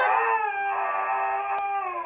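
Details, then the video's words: Siberian Husky named Zeus howling in stubborn protest at going for a walk: a sustained, slightly falling howl with rich stacked harmonics, holding steady for about two seconds. "Husky terco muestra un lado dramático mientras protesta por caminar"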